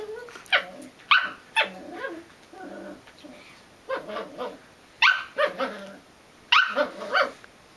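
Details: Belgian Malinois puppy producing high, yappy barks in small clusters of two or three, separated by short quiet spells.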